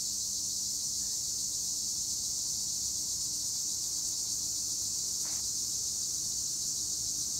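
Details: Tree crickets chirping in olive trees at Güre, Edremit, Turkey: a dense, unbroken high-pitched shrill chorus holds steady throughout, with one faint brief sweep near the end.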